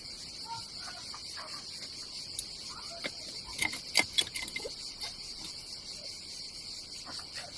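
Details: Cicadas calling on a hot summer day by the Adriatic Sea in Croatia: an unbroken shrill whine with a fainter lower hum, punctuated midway by a quick flurry of clicks and rattles.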